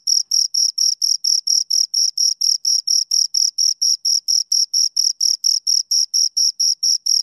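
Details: Steady high-pitched chirping from two crickets, close and loud, evenly repeated about four times a second over several seconds, shrill scraping pulses with a faint higher overtone and no other sounds.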